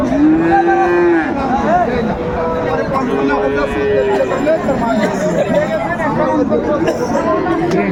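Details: At Raniganj cattle market, Dinajpur, on 2 May 2024, a Friesian or crossbred bull calf opens with a clear, sustained moo. Fainter lowing from other cattle follows through busy crowd talk.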